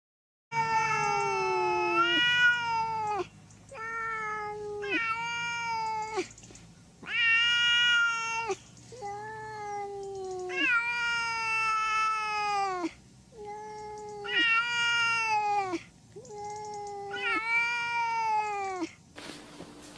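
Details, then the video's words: Cat meowing over and over indoors, a run of about ten low, drawn-out meows of varying length with short gaps, steady and insistent, faint background hum. "Funny and cute cats || meow kitty"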